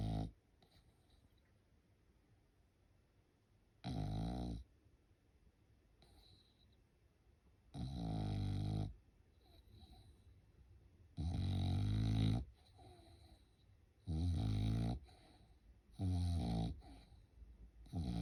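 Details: Sleeping French Bulldog at home indoors during Golden Week, snoring in loud, low, rough rattling breaths, about six snores in a row spaced two to three seconds apart, with quiet pauses between them.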